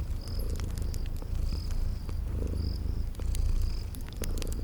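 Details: Cute sleeping kitties give a soft, unbroken low purr beside a crackling fireplace; brief high cricket chirps recur about every second, with occasional sharp fire snaps.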